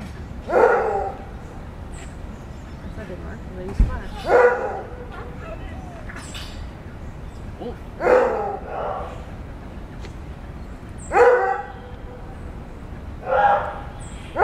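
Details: Maned wolf howling at dawn at the National Zoological Park in Washington, D.C.: five loud, harsh, barking roars spaced about three to four seconds apart over a low hum of background noise.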